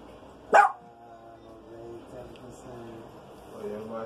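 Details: Rico, a Maltese dog, searches the house for a stinky skunk smell while rain falls outside. A single abrupt bark rings out early, then soft tonal murmuring voices continue over a low indoor background.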